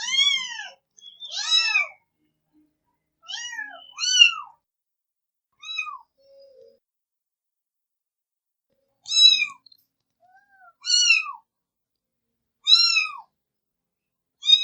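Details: Cat meows from a compilation of fifteen cute cat sounds: short harmonic mews, rising then falling, several in quick pairs, then a pause and four more evenly spaced calls, clean with no background.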